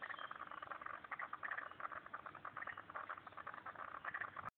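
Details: At a pond in Turner, ACT, frogs keep up a busy chorus of rapid clicking pulses with a few brighter chirps, ending abruptly.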